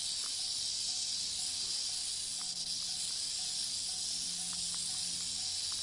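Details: Continuous dry, high buzzing rattle of a western diamondback rattlesnake at Saguaro National Park in 2013, level and unwavering across the whole stretch, with a faint low hum and a few soft ticks in the background.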